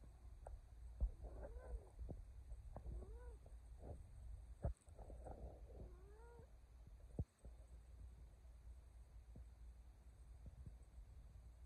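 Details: Male cat meowing to urge its owner to hurry to bed: three or four short rising-falling meows spaced about one to two seconds apart, over low household hum and a few clicks and taps.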